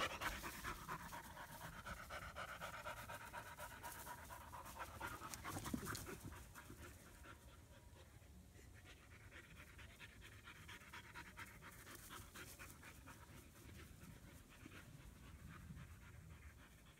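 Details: Two German Shepherd puppies in Florida, 2016: a female born 8-3-16 and her half-brother Psycho, playing together for the first time and getting worn out. Rhythmic, breathy panting runs throughout, louder in the first six seconds, with a sharp burst near six seconds.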